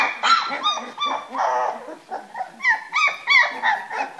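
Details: A litter of three-week-old Springer Spaniel puppies at play in their box; many overlapping squeals, whimpers and little yips, some bending upward in pitch, continuous throughout.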